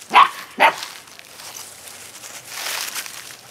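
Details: Rescue puppies recorded on November 12: two sharp, short barks in quick succession within the first second, followed by soft background hiss and faint rustling for the rest of the clip.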